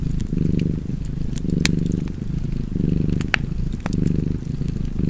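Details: A cat purrs next to a fireplace, its deep vibrating hum pulsing in slow inhale-exhale cycles, with a few loud pops and crackles from burning wood.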